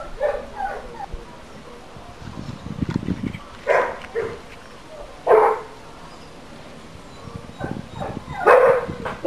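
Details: Nuisance dog barking recorded for council noise monitoring: loud single barks separated by long gaps, with softer yelps and whimpers between them and a low rumble of background noise.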